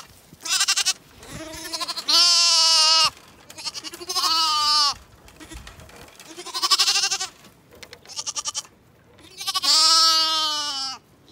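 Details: Several Zwartbles bottle lambs, woken from their snuggle pile by their approaching owner, demand feeding with loud wavering bleats, six separate cries of about a second each, some overlapping, spaced one to two seconds apart.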